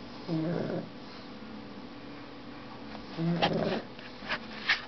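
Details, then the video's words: Two throaty, vibrating snores from a sleeping pet dog, about three seconds apart, with a few sharp sniffs or clicks after the second breath and a quiet background hum. "My dog snoring"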